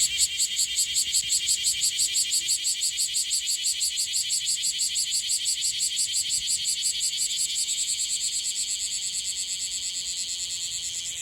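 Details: Young bear cicada in Okinawa, Japan, perhaps on its day of emergence, with an unstable song: a harsh, high-pitched pulsing buzz repeated about three times a second throughout, slightly uneven and fading gradually toward the end.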